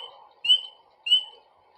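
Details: In spring, a spring peeper, one of the first animals to wake from winter sleep, gives two clear, high, slightly rising peeps about half a second apart.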